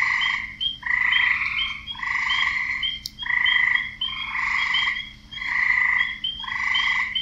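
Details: Chorus of croaking frogs, males advertising to females: loud, grating pulsed calls repeating close to once a second, voices overlapping in layered bands, one sharp click midway.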